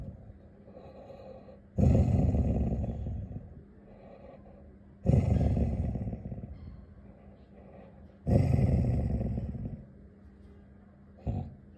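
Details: An angry Labrador Retriever growls low and gravelly in long bursts. Each burst fades out, and they repeat about every three seconds, with a short final rumble.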